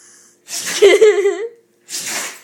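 A Rottweiler gives a sharp, breathy sneeze, followed by a wavering voiced sound and a second hiss.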